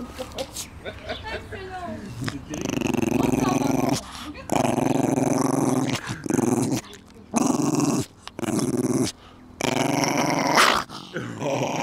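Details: Coton de Tulear named Babou in the garden giving long, rough, sustained growls in blocks of one to two seconds, broken by short pauses, with some speech at the start.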